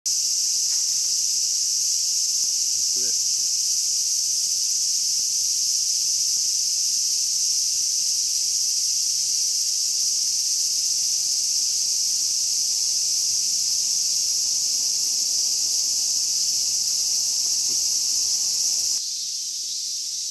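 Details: Cicadas caught by hand at Inagi Central Park in Japan: a continuous, even, high hissing drone that holds steady without a break for about nineteen seconds, then drops slightly in loudness.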